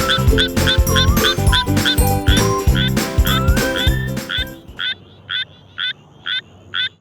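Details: Suweon treefrog calling with short, sharp, metallic notes repeated about twice a second. Loud background music with tonal chords covers the first four and a half seconds, then the croaks continue alone against a quiet background.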